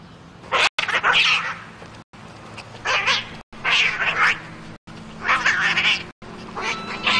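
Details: Cat giving loud, drawn-out, wailing meows, about five strained bursts in quick succession, each split by sharp cuts, with little other sound.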